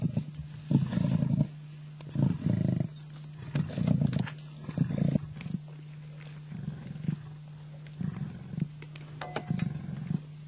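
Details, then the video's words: Two male lions in Africa locked in a tug-of-war over a kill. Deep rumbling growls come in short bursts about every second or two over a steady low engine hum. "lions fighting over kill"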